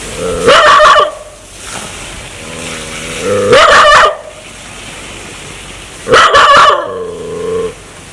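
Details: Threatening dog that wants to bite, with a scary sound: three loud rough bark bursts a few seconds apart, each followed by a sustained low humming growl.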